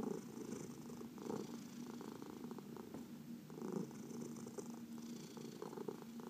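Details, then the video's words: Domestic cat purring during a massage, among four adopted pets including seniors from the Humane Society of New York City; continuous throaty rumble with rhythmic surges roughly every second, light rubbing sounds in a quiet room. "Four Purring Cats — Cat Massage"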